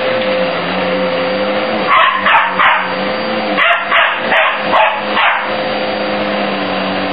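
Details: Young Border Terrier objecting to a vacuum cleaner at home, giving a quick run of about six short barks over a few seconds, half buried under the constant drone of the running vacuum.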